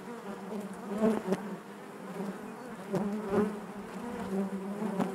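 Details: Inside a honey bee hive, a continuous low droning buzz with bright harmonics, pulsing louder around one, three and five seconds as individual bees brush close, over a soft steady background hum.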